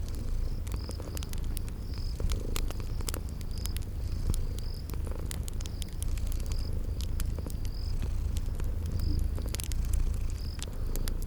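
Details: Sleeping kitties purring in a steady low drone next to a crackling fireplace; frequent fire pops and clicks, and a high chirp recurring roughly every second in a spring garden setting.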